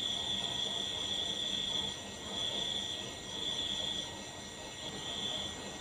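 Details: A cricket giving a thin, high, steady trill that swells and fades in pulses every second or two, over a constant low rumbling background noise.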